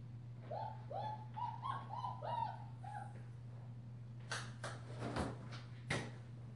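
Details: German Shepherd puppy, a five-week-old female wearing a purple collar, offspring of Ibon Jipo-Me and Witch von Wendelin, utters six or seven short whimpers in a row over a low steady hum, followed by several scattered clicks and taps.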